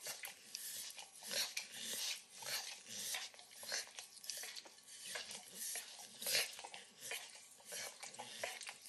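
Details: Wet, sticky lapping from a 9-year-old Pit Bull named Max working on overcooked bacon indoors. Bursts of moist tongue clicks swell and fade every second or so, and a faint kitchen hum lies beneath.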